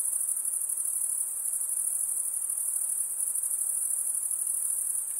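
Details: High, piercing insect trilling forms a constant wall of sound, rapidly pulsing and unchanging in strength throughout, with a faint soft hiss underneath.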